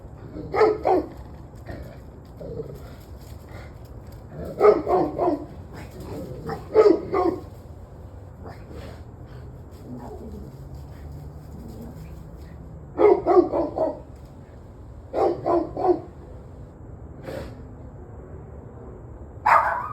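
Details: Dog barking, recorded 21 November 2023 at 7:06 pm, in clustered bursts of two to four sharp barks separated by pauses of a few seconds, with faint background hum between bursts.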